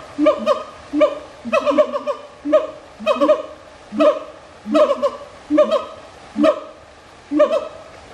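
A siamang gives loud, ringing barks in quick bursts, repeated roughly once a second.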